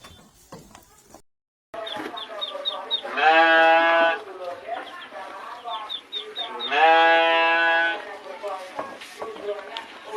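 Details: Garut fighting sheep in a pen, being fed fresh grass, gives two long, loud, wavering bleats, one around the third second and one around the seventh. High, thin cheeps of chicks run throughout.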